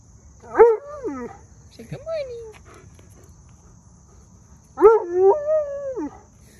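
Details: An Alaskan Malamute on a walk gives drawn-out, wavering 'woo-woo' sounds that rise and fall like speech, as if talking.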